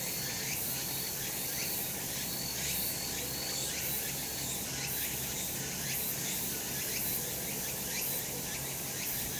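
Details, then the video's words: Cicadas singing in a sunny spot in the summer mountains; a dense, shrill, continuous buzzing chorus fills the high range, with faint rhythmic pulses sweeping through it and no other clear sounds. "セミの鳴き声 夏の山 日なた"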